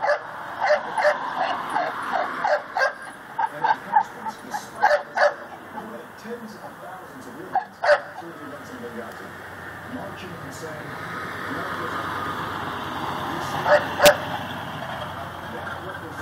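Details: Pit bull tied to a post outside in Chalmette, Louisiana, on an October evening at 7:08 pm, barking constantly. Short sharp barks repeat about three per second for five seconds, then sparser barks against steady background hiss and faint voices.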